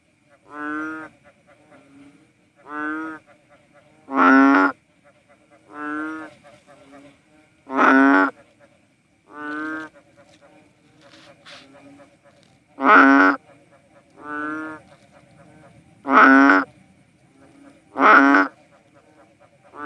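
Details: Philippine banded bullfrogs, known as "cowsound frogs", give deep, nasal, cow-like moos, each about a second long, repeated every couple of seconds.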